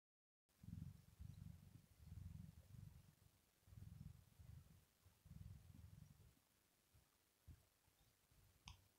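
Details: Rosetta, a female domestic cat, purring while asleep; low rumbling purr bursts pulse steadily for about six seconds, then fade to quieter, irregular rumbles with a few soft clicks near the end.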